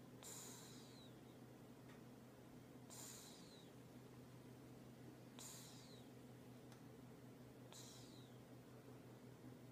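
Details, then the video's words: A sleeping cat snoring; a soft wheezy, whistling breath recurs roughly every two and a half seconds, four times, over a steady low hum. "Do Cats Snore II"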